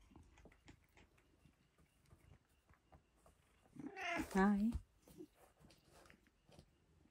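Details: Domestic cat at dinner time giving one loud, drawn-out meow with a wavering, slightly falling pitch, set among soft indoor clatter and quiet background noise.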